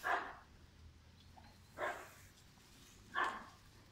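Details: German Shepherd puppy named Pirat, five months old, from a sport and police working line, giving three short, sharp barks spaced over about three seconds with quiet gaps between them.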